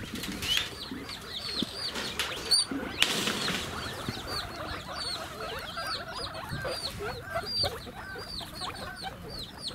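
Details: Guinea pigs (Cavia porcellus) at Ostrich Kingdom Sodegaura Farm, Chiba, Japan, on 10 December 2018 give a dense chorus of short, rising squeaky wheek whistles, overlapping and repeated, apparently begging for food.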